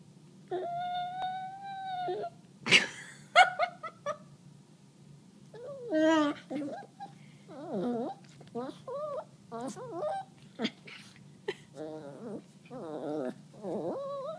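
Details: A pet Chihuahua named Peanut, wanting to bite a hand, makes wavering, whiny grumbling noises in uneven bursts, some held steady for a second and others warbling up and down, in a quiet room.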